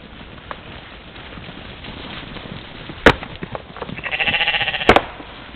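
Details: Morning at a waterhole in Czempiń forest district, Wielkopolska, Poland, where a trail camera caught a playing mouflon herd on 13 July 2018; a wavering, pulsed bleat near the end, with loud knocks and clicks before and during it.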